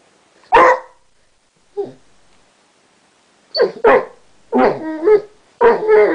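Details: Chester, a Basset Hound that has recently learnt to 'talk', gives short barks and woo-like vocal bursts separated by pauses, several close together toward the end.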